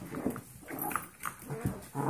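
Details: Golden Retriever mix puppies aged 14 weeks romping with 5-week-old Yorkie foster pups in a small room, giving low grumbling growls and short whines in quick irregular bursts, ending in a louder squeal.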